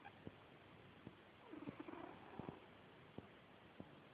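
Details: Bowy, a female pet cat, snoring while asleep: one rough, breathy rasp with a low buzzing tone lasts about a second, set among sharp faint clicks in a quiet room.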